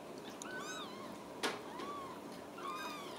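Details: Ragdoll kittens at a home cattery in central Kansas, raised without cages: several thin, high kitten mews rising and falling, with a brief soft thump midway, a woman's voice nearby and quiet room hiss.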